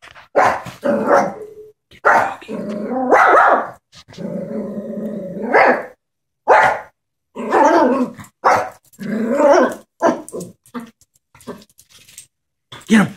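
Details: Chihuahua, scared of a stuffed toy horse, indoors, giving a run of sharp barks broken by a long rumbling growl, then quicker yappy barks in uneven bursts with short silences between.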